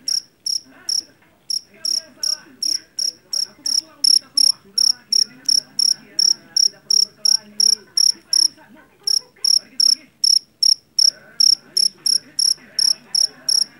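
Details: Field cricket of the jeliteng type, caught in a Javanese rice paddy and known for its loudness; piercing chirps in long, even runs near three per second, interrupted by a few short silences, faint background hum.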